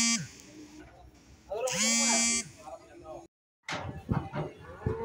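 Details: Cattle at Grabag livestock market after a foot-and-mouth disease outbreak: a drawn-out moo with a steady low tone and bright harmonics, followed by a brief break, then people talking.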